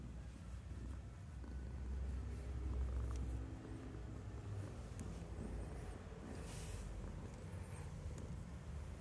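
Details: Oscar, a cat in a garden, purrs while wanting cuddles: a steady, deep, low rumble that swells slightly around the middle, with faint outdoor background noise.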